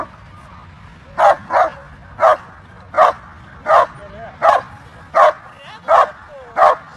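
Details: German Shepherd at a dog show barking in a steady series of sharp, loud barks, about nine over seven seconds, some in close pairs, with faint background chatter and whines between.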